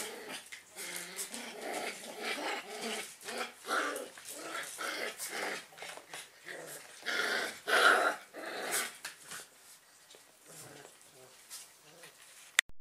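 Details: Freshly woken German Pinscher puppies playing: repeated low throaty growls and grunts in short bursts, with one louder squeal in the middle, over constant rustling and scuffling.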